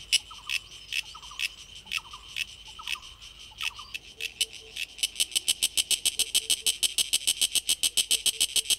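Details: Sulphogaeana cicada producing its song with the tymbal organ: a few loose, irregular broadband clicks with faint falling chirps behind, then a loud, steady train of rapid, hissing pulses, about seven each second, running to the end.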